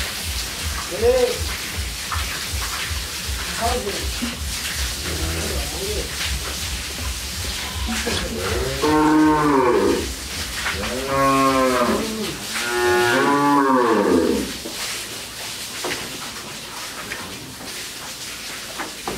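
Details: Dairy heifers and calves at a farm in Bangladesh lowing repeatedly: several drawn-out, arching moos with rich stacked harmonics, the strongest around nine to fourteen seconds, over steady background hum.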